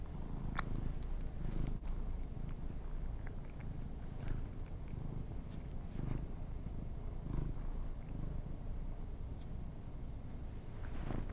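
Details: Pet cats given treats indoors; a low, steady purring rumble runs throughout, broken by scattered soft clicks and crunches of chewing.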